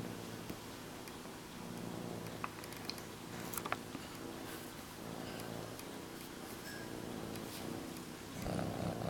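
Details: Domestic cat purring while cuddling her blanket indoors; low, continuous rumbling purr, fairly quiet, with a few soft clicks and rustles and a louder burst near the end.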